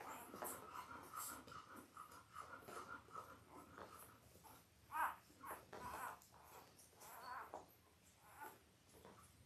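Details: Five-day-old Labrador Retriever puppies from Belle's litter of eight, five males and three females, born October 15, 2023, on a live puppy cam: soft, thin squeaks and whimpers, one sharper tonal squeak midway, over quiet rustling and shuffling.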